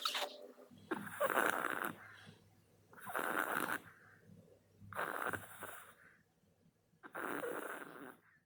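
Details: Snoring of a sleeping Maltese dog, a female named Songi, indoors: four long, rasping snores, each about a second long, coming roughly every two seconds, with soft breathing in the gaps between them.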